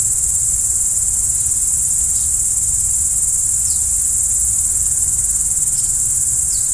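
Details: Crickets calling at night in a constant shrill, high trill, even in loudness, with several soft, short, falling chirps scattered over it.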